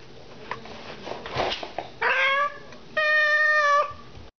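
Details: House cat with a scratching post and silvervine, indoors: faint rustling and scratching, then a brief rising meow followed by a longer, steady, drawn-out meow lasting almost a second.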